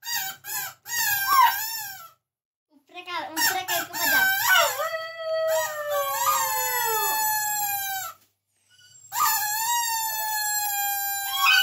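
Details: A dog 'singing': a few short yelping notes, then long wavering howls that slide down and level off, with brief pauses between phrases.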